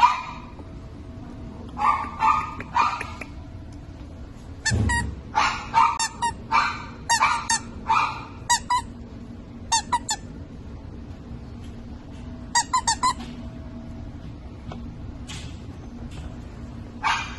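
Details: Havanese puppies, black and white, giving a run of short high yapping barks in irregular bursts, some rapid doubled yips, with quiet pauses between and a low background hum.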